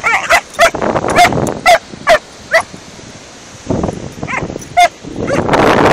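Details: A 14-week-old Doberman and a Border Terrier of about seven or eight years play together on a beach, giving a run of sharp, ringing yips and barks, several close together, then a pause, with wind and scuffling between.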